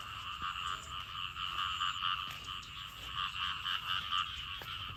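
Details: After rain, frogs and small frogs chorus loudly near a garden: thick overlapping croaks form a continuous buzzing wall, swelling slightly in bursts, with one sharp knock near the end.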